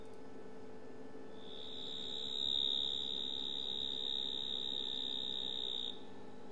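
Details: Reference call of the mottled shovel-nosed frog (Hemisus marmoratus), a species found near a dam at Djuma Game Reserve, South Africa: a long, piercing, high-pitched buzz held steadily for several seconds.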